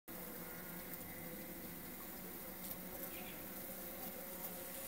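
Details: Melipona beecheii stingless bee, known in Honduras as blanco estrella: a steady, dense buzzing hum with layered low tones, continuous throughout, with faint higher chirps in the background.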